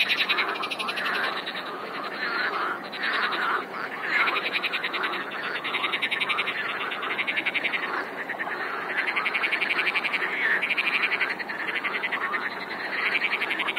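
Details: Dense frog chorus, countless croaks blending into a continuous buzzing rattle, fast pulsed trills layered over one another with little variation across the whole stretch.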